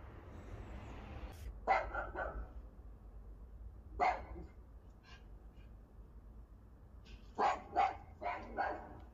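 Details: Sherpa, a pet Alaskan Malamute, barking at an Alexa smart speaker at home; single deep woofs near two and four seconds, then a quick burst of three or four barks near the end over a low room hum.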